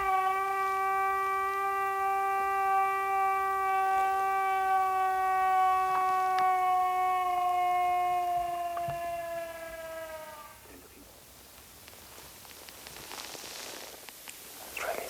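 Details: A gray wolf in the snowy forests of Poland gives one long, steady howl that sinks slightly in pitch before breaking off, at night under a hazy full moon, with a pack calling in the far distance.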